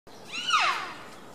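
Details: Wapiti stag roaring during the rut in a zoo enclosure at Tierpark Berlin, September 2015: one loud, whistled call with stacked overtones, rising then sliding down over about half a second, over a quiet background.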